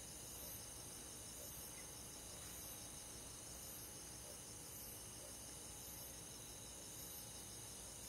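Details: Summer-night cricket chorus from rural forest, many insects trilling at once in high, even bands, a fast beaded pulsing running through it, quiet and unbroken for the whole stretch.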